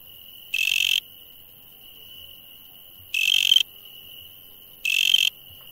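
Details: Nocturnal insect calling: three loud, rasping, buzzy pulses of roughly half a second at irregular two-to-three-second gaps, layered over a steady, piercing, high continuous tone.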